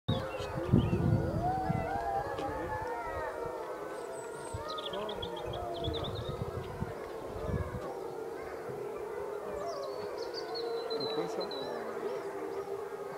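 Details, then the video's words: Several captive wolves at a wolf park, recorded by a visitor, howl together in long, sliding, overlapping tones that rise and fall. "Les hurlements des loups"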